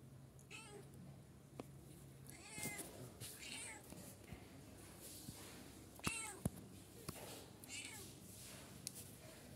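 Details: Young kittens aged 9 to 14 days, indoors in a small room, giving several short high mews with harmonic arcs, scattered across the recording amid clicks and faint background noise.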